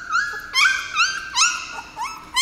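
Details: Seventeen-day-old puppies, first brought into a dog café indoors, give a run of high, thin whimpering squeals, each sliding up then down, about five in quick succession with short gaps between.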